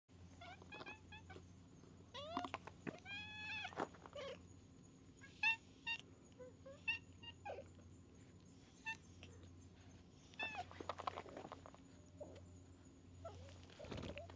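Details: Stray cats in a back alley on a Japanese cat island, coming up to people, give repeated short rising-and-falling meows in clustered bursts. A steady high whine and low hum run underneath.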